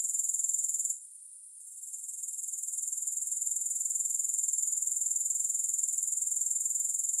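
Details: Continuous shrill insect trill from grasshoppers that dips briefly near the first second, then returns to a steady rapid pulsing buzz.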